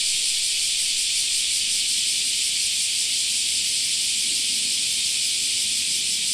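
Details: Summer cicada chorus in a park, a loud, even, high hissing buzz that never pauses, carrying a subtle quick throb, with faint low murmurs underneath.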